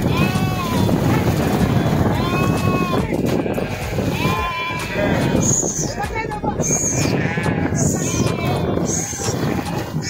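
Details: Several sheep swimming and jumping into a river bleat in wavering, overlapping calls over the steady rush of water.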